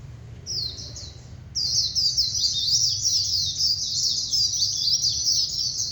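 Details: Warbling white-eye during the singing competition season: after a short soft opening, a long continuous rush of high, jumbled, chattering warbles follows, with low steady background noise.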